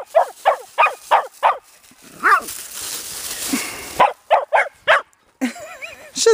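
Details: Teddy Roosevelt Terriers at play outdoors on a warm February day in Georgia: quick bursts of sharp barks in runs of four or five, a pause, then more barks and wavering yelps.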